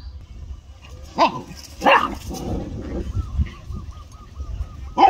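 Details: Pet dogs barking at home: three sharp, loud barks spread over five seconds, the last cut off at the end, with faint repeated chirps and low background rumble between them.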